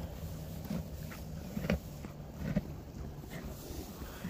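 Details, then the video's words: At a stable, a horse chews hay with soft, low, crunching grinds repeated roughly once a second, a sound that is hard to make by chewing hay any other way. "have you ever wondered what a horse sounds like when it's eating hay horses actually make a really unique sound listen closely"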